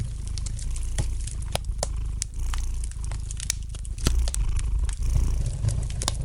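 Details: Gentle purring of a domestic cat by a crackling fireplace, a deep continuous throb rising and falling with breathing while frequent bright snaps of burning wood punctuate it.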